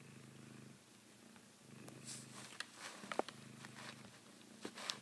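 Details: Savannah cat named Alibaba purrs indoors while biting a favourite blanket he treats like a female cat's neck; low, steady pulsing purr with a short pause, overlaid by crinkling fabric and sharp biting clicks.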